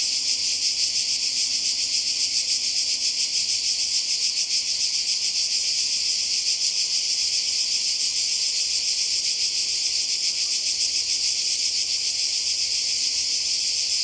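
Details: By the sea in Croatia in summer 2020, many cicadas sing together in a constant, intense high drone with a quick, even pulse and no gaps.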